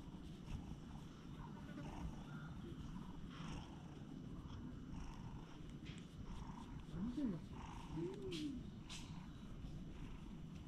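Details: Relaxed stray cat on a stone bench being groomed with a cat brush, recorded with a GoPro HERO8: steady deep purring hums under the whole stretch, with brushing noise and a brief rising-falling vocal sound near the middle.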